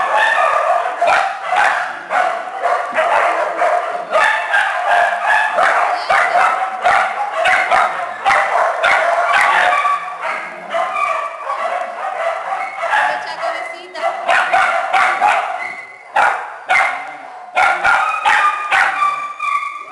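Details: Many small dogs and puppies housed in a shelter kennel bark and yip together, sharp high-pitched calls crowding over one another in a steady clamour.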